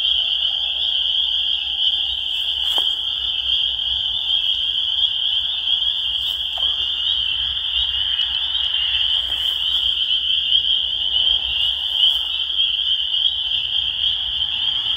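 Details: Spring peeper (Pseudacris crucifer), chorus.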